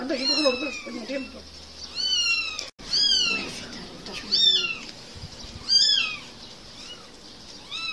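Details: Kittens playing and mewing: high, bending meows that climb and drop, coming in separate bursts roughly every second or so, with a short sharp click partway through and low rumbling noise early on.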